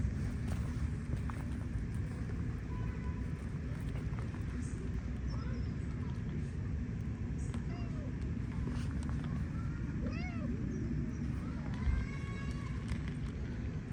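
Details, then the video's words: A stray cat on an Istanbul street in Turkey, asking for affection, gives several short arched meows spaced a few seconds apart, most clustered near the end, over a steady low rumble of traffic. "Stray Cat Asking For Affection In A Cute Way (Cutest Meowing)"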